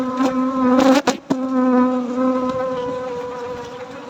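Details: Honey bees humming steadily at night as honey is harvested, a clear, even, low-pitched drone with rich overtones, with a couple of brief sharp knocks just after one second.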